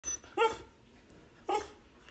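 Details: Border Collie giving two short, high, yelping barks about a second apart in a quiet background.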